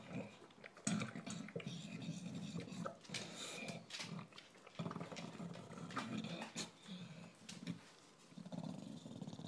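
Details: Shaft, a recently adopted English bulldog, noisily eating his dinner indoors; heavy low snorting and wheezy grunting breaths in long rasping bouts between sharp chewing clicks, a short pause near the middle.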